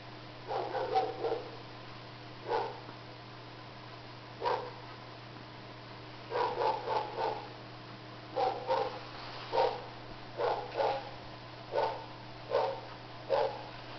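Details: Two Shih Tzu puppies, Gizmo and Sunny, playing with a smurf toy: short, high yappy barks come in quick clusters of two to four, about a dozen bursts in all, over a steady low electrical hum.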